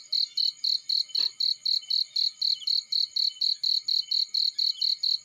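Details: High, pulsing chirps from a cricket in a field repeat about four times per second with a clockwork rhythm. A single brief click cuts in early.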